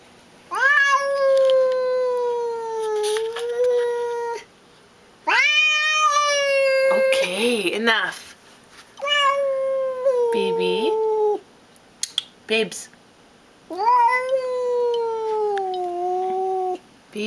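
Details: Pet female cat indoors guarding like a guard dog, showing who is boss: long, loud, drawn-out meows, each rising then slowly falling, five in about seventeen seconds, with a woman softly talking to her between calls.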